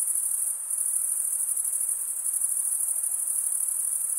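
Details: Shrill, even cricket trilling runs nonstop, a high metallic shimmer with quick rhythmic pulses and only slight dips in loudness, with no other animals or noise.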